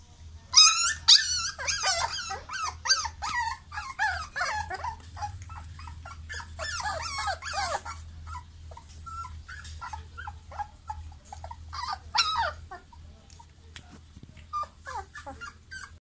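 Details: American Pit Bull Terrier puppies give a busy run of high squeaky whimpers and yelps, overlapping and irregular, dense in the first eight seconds then thinning to scattered squeals, over a low steady hum.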